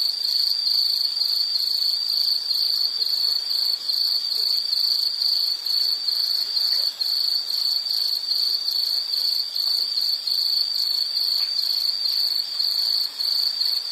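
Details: Continuous high insect chorus, shrill and pulsing without pause, steady in loudness throughout, with faint background hiss beneath.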